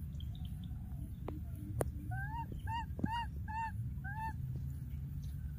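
A young monkey gives a run of short, arched, wavering cries, calling for a lost playmate.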